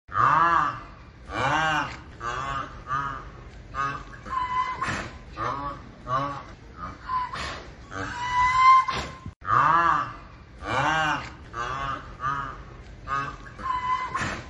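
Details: Indian rhinoceros (Rhinoceros unicornis), call.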